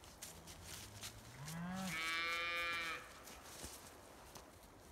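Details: Scottish Highland cattle kept outdoors year-round on a farm in Finland, in forest and meadow; a single moo rising from a low rumble into a loud, harmonic-rich bellow lasting about a second, then fading, with faint rustling behind.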